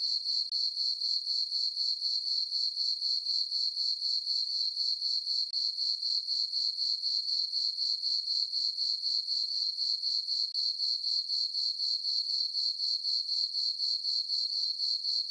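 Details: Crickets chirping on a peaceful summer night in a farm meadow under a full moon: a high, shrill, unbroken trill that pulses steadily about four times a second, with no other sounds.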